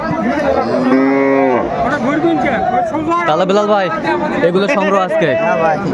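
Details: Large bulls bought by a Munshiganj farmer for Qurbani, recorded at a cattle market on 23/3/25: a drawn-out, low, steady moo about a second in, with crowd chatter and men's voices bargaining throughout.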